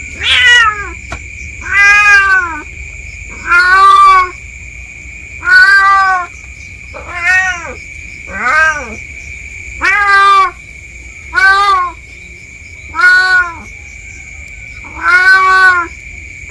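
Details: Village cat named Meong exploring the bushes behind a house, its voice sounding increasingly panicked. About nine drawn-out, harmonic meows, each rising then falling, come roughly every one and a half to two seconds over a steady high-pitched background tone.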